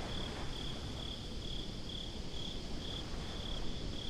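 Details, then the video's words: Crickets at night by the sea give clear, evenly spaced high chirps, roughly two a second, above a dense low murmur of wind and water. "Crickets at the Beach"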